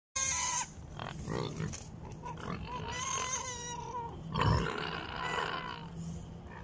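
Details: Wild boar piglets, one piglet climbing on top of its sibling: a burst of loud, harmonic squeals, then several wavering, sweeping squeals of varying length with a shrill peak near the middle and low rumbling noise underneath.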